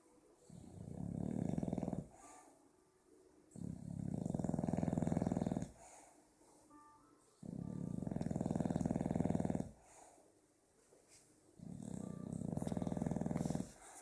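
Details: Sleeping pet bulldog named Strike snoring, likened to a motorbike with a broken exhaust. Low, rumbling, purring rattles about two seconds long recur roughly every four seconds, with near-silent pauses between breaths in a quiet room.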